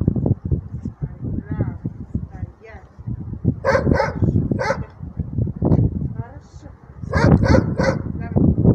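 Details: Alaskan Malamute during training, giving clusters of short, harsh barks, three in quick succession and later another quick run of three, with a person talking and low rumbling noise throughout.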